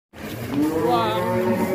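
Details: A one-ton bull rages and breaks out of its pen in Indonesia, giving a long, loud, wavering moo that holds steady for over a second and a half.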